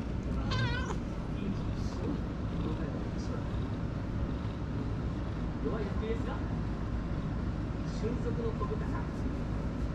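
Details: Stray tuxedo cat with hachiware markings, indoors in a cooled waiting room amid an extreme heat wave; a brief wobbling meow opens the recording, followed by low rumbling background noise and faint murmurs.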